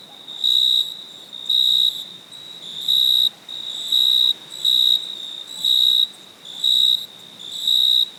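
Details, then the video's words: Cricket calling at night, eight evenly spaced shrill chirps in about eight seconds, each a flat, bright high tone, over a low hiss. "Cricket chirping sound"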